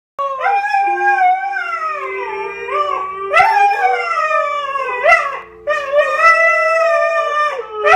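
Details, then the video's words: Two dogs, a Siberian Husky and a Siberian Husky–Akita mix, "sing" when the phone rings and the answering machine picks up: long, wavering, sliding howls broken by yips between drawn-out cries. "Husky Singing"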